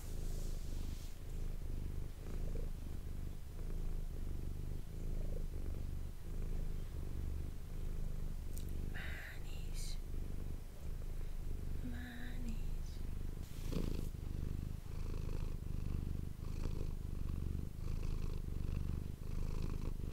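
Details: Domestic cat named Manis purring, recorded indoors with an ASMR microphone: a steady low rumbling purr in rhythmic breathing cycles, broken by a few brief higher clicks and rustles around the middle.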